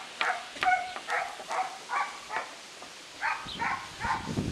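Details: Lucy, a nine-week-old female German Shorthaired Pointer puppy, during child socialization training: a run of short, high, tonal yips in uneven bursts, roughly a dozen over four and a half seconds, with soft background noise.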